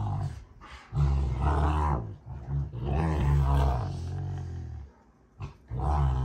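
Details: Rottweilers June and Kenai play fighting, making long deep growls with rough, rolling texture and a brief pause near the end.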